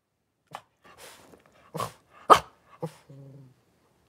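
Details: Cavalier King Charles Spaniel puppies with their mother Paris in an indoor puppy pen, January 2023; a run of sharp yelps and barks, one very loud, ending in a short low whine.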